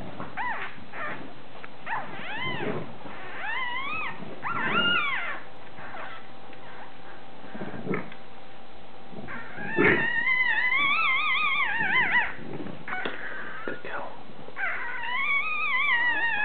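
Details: Newborn Bulldog pups, two males only hours old, nursing on mum Molly, who is sore after a c-section. Repeated high wavering whines and squeals come in bursts across the clip, some rising and falling, over a low background hum.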